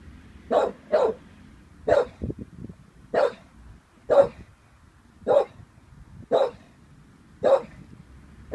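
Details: An 18-month-old Staffordshire Bull Terrier named Vinnie, wary of a balloon, gives a run of nine gruff barks, the first two close together, the rest spaced irregularly about a second apart, with faint scuffling between.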